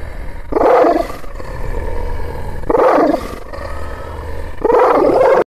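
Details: Aggressive Kangal shepherd dog, Aksaray Malaklı type, letting out three heavy, roaring barks roughly two seconds apart, each a dense low-pitched burst over a steady rumble.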